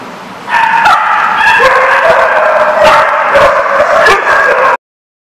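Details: Loud, overlapping dog barks and high yips run on without pause, with whining tones threaded through, then stop suddenly.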